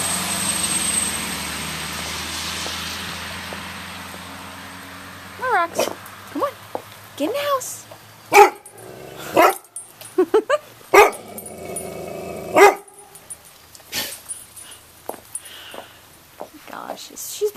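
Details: Roxy, a female chocolate Labrador Retriever, afraid of roofing materials in a driveway and refusing to go into the house; short, arched, rising-and-falling whines and clicks over a coaxing human voice.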